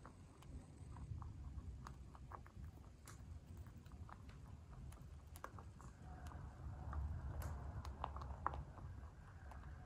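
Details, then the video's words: Free-range white dwarf mini lop bunny eating food, steady run of short crunchy chewing clicks, several per second, loosening slightly toward the end, over quiet low background noise. "Crunchy mouth sounds | Cute bunny"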